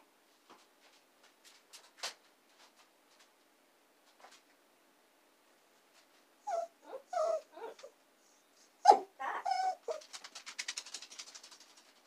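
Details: Two young female dachshunds, Saigrorg and Tanggwa, kept indoors, whimper while waiting for their owner, who is working in the basement; short tonal whines in separate bursts, then a rapid run of quavering whimpers that fades away, in a small quiet room.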